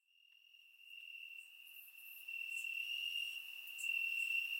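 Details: Crickets chirping in the grass on a warm summer night in Bulgaria, captured with a surround microphone: a steady, unbroken high-pitched trill that fades in and grows louder, with scattered brief, even higher chirps from other insects above it.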